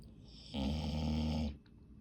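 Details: A single loud, rough, buzzing snore about one second long from a pet dog asleep indoors, with a low, steady rumble throughout.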